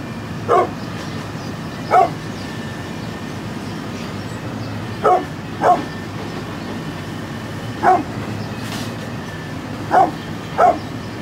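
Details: Repeated short barks, eight in all, from a brindle pit bull aged 9.5 years, mostly in pairs with gaps of one to two seconds, over a continuous low hum.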